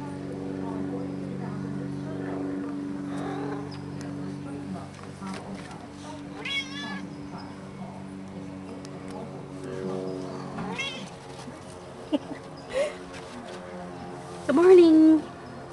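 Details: Shadow, a pet cat relaxing on a balcony on a sunny day in the Bay, gives soft wavering meows under close, friendly human speech, ending with one louder, brief meow that rises and falls.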